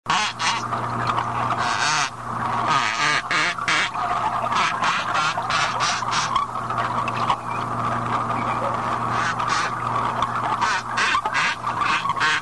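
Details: Rough-toothed dolphin: rapid series of buzzy, quacking pulsed sounds in irregular bursts over twelve seconds, with a steady low hum running underneath.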